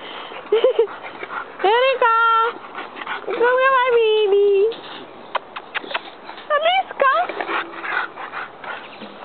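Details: Bulldog puppies playing on a playground give high, tonal whines and short yips, some drawn out and slightly falling, scattered among background chatter and other noise.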